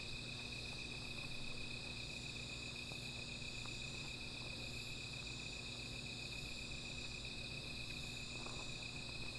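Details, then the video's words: Nocturnal insects calling near a small fire: an even, ceaseless high-pitched trill, a faint higher band above, and occasional quiet pops and crackles from the fire. "Sound of Insects"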